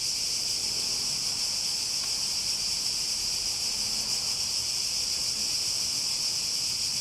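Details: Cicadas in full chorus: a steady, high-pitched, unbroken buzzing drone that holds at one even level throughout, with no other clear sounds.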